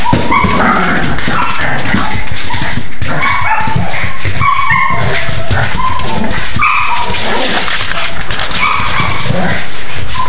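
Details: A Cocker Spaniel whines and yips in repeated high, wavering bursts, left out of play, while a Pekingese plays and tap-dances with heavy thumping noise.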